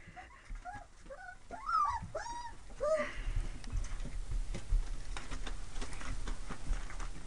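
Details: Labrador Retriever mix puppies whine in a quick run of short, high, arching whimpers, each rising then dropping, over about three seconds before steady low rustling takes over.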